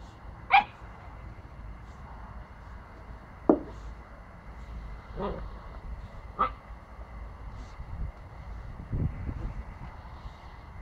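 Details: A Pomsky puppy bites and barks at a broomstick indoors; short sharp barks come singly at irregular gaps, about four over ten seconds, with low scuffling thumps and a brief spoken word from a person.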